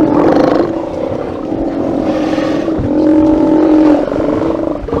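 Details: Steller sea lions calling at a haulout, live camera recording from 24 September 2018: a steady chorus of drawn-out, buzzy roaring bellows, one strong tonal groan sustained through the middle, voices overlapping with no break.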